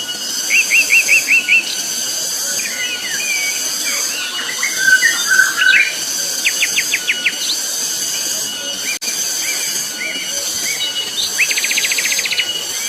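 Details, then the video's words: On Gunung Pabangbon, cicadas keep up a constant, intense high-pitched whine while several birds add short trilled bursts, chattering notes and whistles, including a fast rattling series toward the end. "Suara tonggeret nyaring sekali di Gunung Pabangbon"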